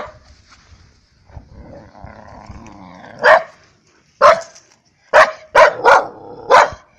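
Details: Energetic rescue dog at a dog run giving six sharp, loud barks in its last four seconds, two in quick succession, after a quieter stretch of low background murmur and rustling.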